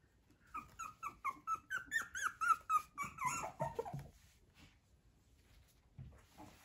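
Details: Fluffy male Chow Chow puppy indoors uttering a steady series of short, nasal whimpering yelps about four per second for four seconds, trailing into a low grumble before fading into quiet room noise.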